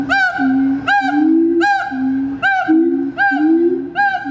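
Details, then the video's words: Two siamangs at a zoo duet their territorial song: loud ringing hoots repeated in quick bursts over a lower, rising, droning voice, amplified by inflated throat sacs. "Siamang Duet Song"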